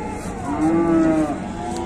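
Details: A fierce Indonesian cow making a racket lets out a single drawn-out moo, smooth and tonal, swelling and fading within about a second.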